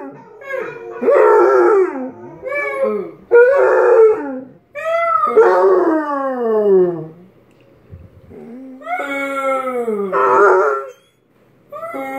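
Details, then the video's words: Tank, a Basset Hound, howling indoors: drawn-out harmonic howls that slide downward, broken by short yelping bursts and brief pauses, with a quiet room hum beneath. "Tank howls"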